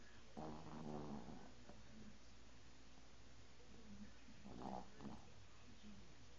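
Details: Pet dog Bingo, asleep and twitching, gives two rough, buzzy snoring breaths about four seconds apart, the first longer, against a faint steady background hum.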